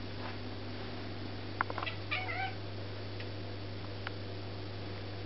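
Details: Archie, a Devon Rex cat, talks to a bird in a quick burst of chirping, chattering meows over a steady low hum.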